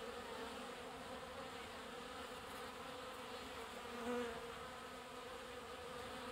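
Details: At a water trough, honey bees collecting water produce a steady hum, one bee briefly swelling louder as it passes close near the end, with soft clicks scattered through.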